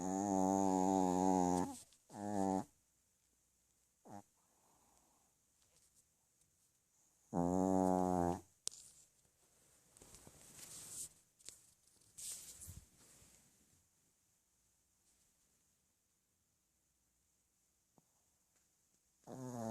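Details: Dog sleeping and snoring: two loud, buzzy, harmonic-rich snores about six seconds apart, with quiet breathing and small rustles between them in a small indoor room.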